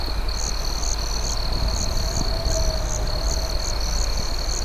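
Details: At night, crickets keep up a steady high trill with brighter chirps pulsing about twice a second over a crackling campfire.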